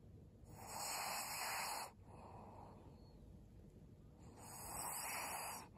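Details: Long rasping snores from Maria, an elderly fawn pug, female, aged 12, in Japan in December 2022: two extended hissy breaths, each lasting over a second, separated by a quieter stretch.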